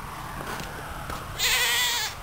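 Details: A goat on a farm that keeps about 130 goats. After a low, rumbling background, it lets out a loud, wavering, nasal bleat held for nearly a second.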